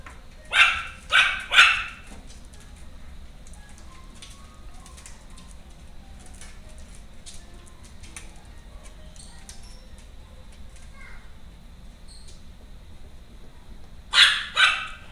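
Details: Three rapid, shrill barks open the recording of a female Maltese born on 25 July. A long stretch of near quiet with faint small noises follows, then two more sharp barks close it.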